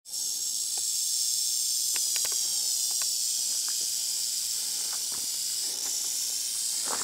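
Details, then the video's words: Great Basin rattlesnake rattling in Devine Canyon, Harney County, Oregon, on August 2, 2023: a loud, continuous high buzzing hiss that starts abruptly and holds steady for the whole stretch, with a few faint clicks beneath. "Rattling Great Basin Rattlesnake"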